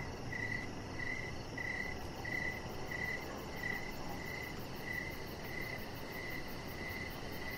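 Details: Crickets chirping outdoors in the evening near a deck, with a chihuahua puppy resting nearby; steady, regularly spaced high chirps repeat about every half second over a constant broadband hiss of background noise.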